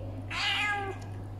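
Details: Angry female domestic cat that will not allow herself to be touched gives one drawn-out, harmonic meow of about half a second, rising then falling. A steady low hum runs underneath.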